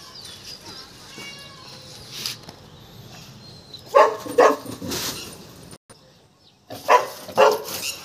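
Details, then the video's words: Golden Retriever named Tiger, described as scared of a peacock, gives two pairs of sharp barks in the second half after a quiet start, with faint high tonal background sounds. "Tiger dar raha hai peacock se"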